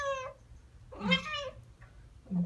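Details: Chattering from Ragdoll pair Ao and Aki, one year and nine months old, answering birdsong with bird-like noises; a short chirp, a longer wavering chirp-meow, and soft low grunts between.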